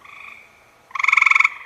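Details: Male gray tree frog mating call, the kind studied at the University of Minnesota, where females favour males giving long calls several times a minute. A fading trill tail, then a loud half-second pulsed trill of about a dozen rapid, even buzzy pulses.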